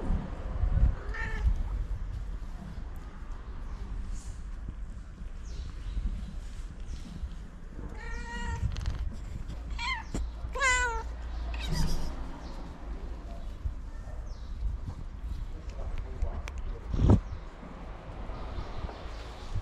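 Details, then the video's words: Tabby cat meowing loudly to summon other cats for food: a few drawn-out, wavering meows with rich overtones, clustered in the middle of the recording, over a steady low rumble of outdoor background noise. "A Very Cute Tabby Cat Meowing Loudly In Order To Summon Other Cats For Food"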